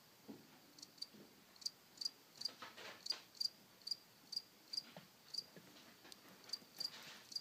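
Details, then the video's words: Cricket heard in summer, caught on camera: short bright chirps near a steady high pitch, repeated roughly every half second in a regular pulse, with soft clicks and handling knocks in the background. "Cricket chirping"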